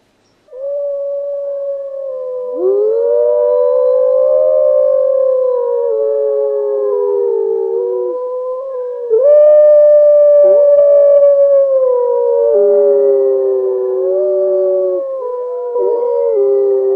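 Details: Several wolves howling in chorus: long, sustained, wavering tones that slide slowly up and down, voices overlapping and crossing, with a louder burst of fresh howls joining midway through.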